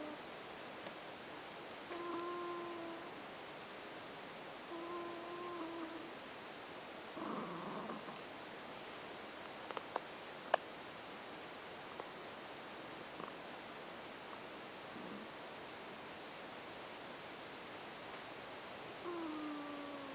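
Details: Ash, a pet cat, snoring while asleep: soft, whistly tonal breaths with a slight downward slide, heard at irregular intervals of a few seconds against a quiet room hiss, with a few faint clicks near the middle.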